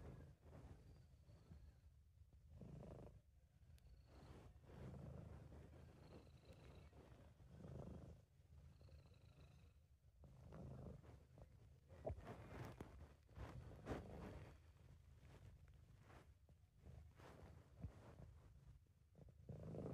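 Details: British Shorthair cat giving a contented purr, amateur recording: a long, even low rumble pulsing with breathing about every two to three seconds, with faint high whistling tones in the background.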